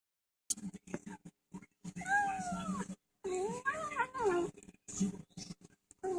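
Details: Domestic cat, an overweight male, vocalising while eating indoors, protesting being filmed; a few drawn-out, wavering meow-like moans mixed with chewing clicks and rustling.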